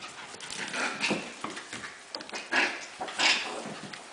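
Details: Havanese puppies: faint, thin high squeaks, two brief ones standing out late, over soft rustling and shuffling movement.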